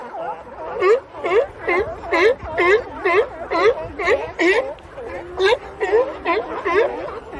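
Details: Sea lion. Harsh, honking barks from a sea lion come in a steady run, roughly two per second. Each call is short and nasal with a brief rising lilt, and no other sounds stand out.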